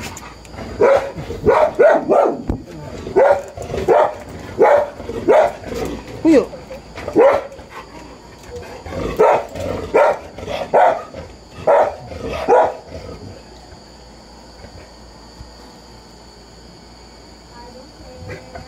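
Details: Three 25-day-old Golden Retriever puppies give a string of high, squeaky whines and yelps, then fall quiet.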